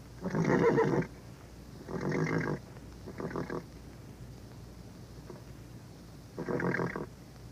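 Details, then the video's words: Horse in an old recording giving four low, rough, pulsing bursts, each about half a second to a second long and spaced irregularly, like snorts or nickers, against constant background hiss. "Vintage Horse sound effects"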